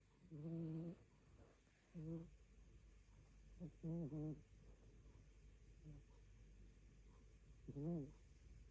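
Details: Rescue cat sleeping and dreaming on a dull afternoon, snoring; short low nasal bursts of about half a second, some wavering, coming irregularly every one to two seconds over a steady quiet background hum.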